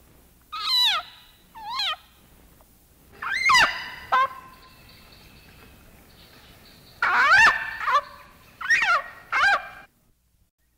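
A leopard frog screams with its mouth open, producing loud, cat-like wails that drop steeply in pitch. Several screams come in irregular bursts over about ten seconds, with quiet gaps between them.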